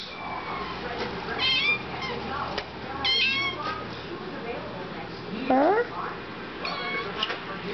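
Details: Siamese kitten waiting for its favourite hairball remedy, giving short meows between a woman's repeated questions; one clearer rising meow near the end, with indoor room noise throughout.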